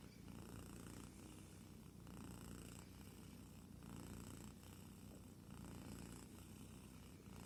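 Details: A kitten purrs while asleep, producing a deep, even rumble in slow inhale-exhale pulses roughly every 1.7 seconds, continuous and close, in a quiet setting.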